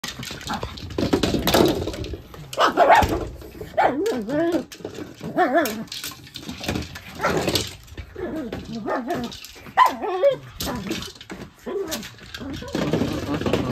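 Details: Pet dog Mitzi playing with a large ball, barking as she chases it; sharp broadband barks come in irregular bursts, mixed with higher wavering yips and whines, plus background room noise.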